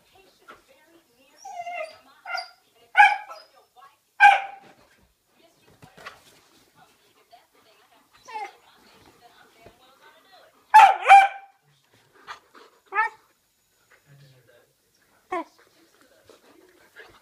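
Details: Ibizan Hound puppy playing, with scattered short yips and barks of mixed loudness, one strong bark near the middle, and soft rustling between them.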